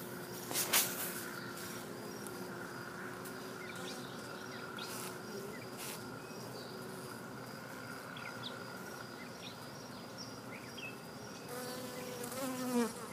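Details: Western honey bees in a bee yard give a steady, droning hum while lapping up sugar water sprinkled on their frames, with one bee buzzing close by near the end.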